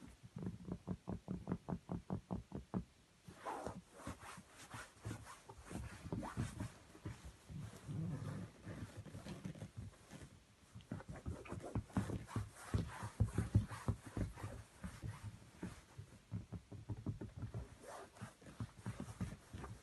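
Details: A male mini Chihuahua puppy makes low, rattling growls and grunts in quick pulsing bursts.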